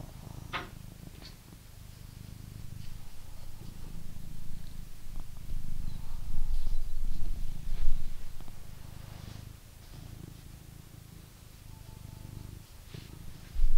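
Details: Close, loud purr from a blue British Shorthair cat kept in England, a thick low rumble that grows stronger midway, then eases, with occasional soft clicks and a sudden knock at the very end.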